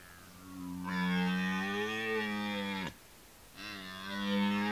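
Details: Rutting red deer giving a long, deep, harmonic bellow lasting around two seconds, broken by a brief pause before a second roar begins, swelling in loudness against a quiet backdrop.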